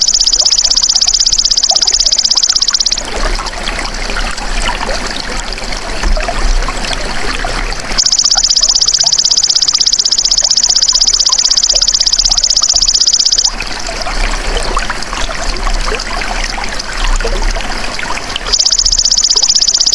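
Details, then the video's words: Golden grasshopper, its natural sound intended to coax songbirds into singing. Three bursts of rapid, high, evenly pulsed trilling, each up to about five seconds long, alternate with gaps of hissing, trickling background noise. "MASTERAN BELALANG EMAS TERBAIK 2026 | SUARA ASLI PANCING BURUNG CEPAT GACOR, FOKUS & RAJIN BUNYI"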